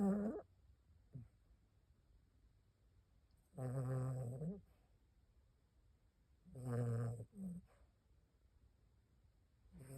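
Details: A 15-year-old Maltipoo, a poodle-type dog, snoring while asleep: low, rough, drawn-out snores about every three seconds, each lasting under a second, in a quiet room.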